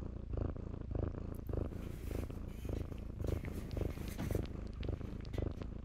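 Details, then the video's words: Purring from shelter kittens playing in blankets: deep rhythmic rumble pulsing almost twice a second, strong and close, with soft scratchy rustles of fabric above it. "kittens play in blankets"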